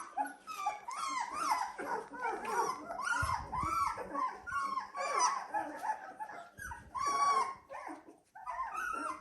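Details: Dalmatian puppies at 17 days old, a litter calling together: many overlapping high whimpers and squeals with arched, sliding pitch, nearly continuous, with short gaps and a few louder bursts.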